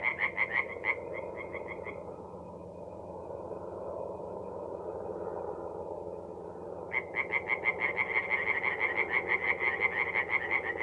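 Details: Tree frogs singing at night in a forest pond in mid-April, North-East Italy: rapid pulsed croaks, several per second, in bursts at start and end with a quieter stretch of broadband background murmur between.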